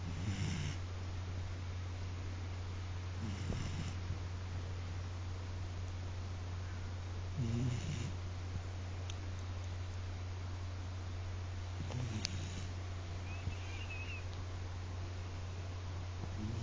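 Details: Koume, an Akita dog, snoring loudly in deep sleep indoors: low rumbling snore bursts roughly every four seconds, over a constant low electrical hum.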